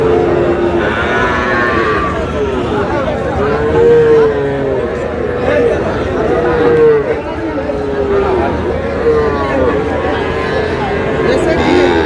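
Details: Cattle market scene, 11 August, with a Sahiwal bull calf bought by a farmer from Munshiganj: three or four separate moaning moos, each bending up then down, spaced a few seconds apart amid busy crowd talk.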